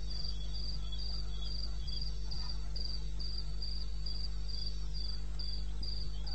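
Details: Cricket chirping through the night in eastern Botswana's wilderness, recorded 21 May 2016 at 2:30 AM; high, short pulses about three and a half per second, a quieter lower chirper, and continuous low hum underneath.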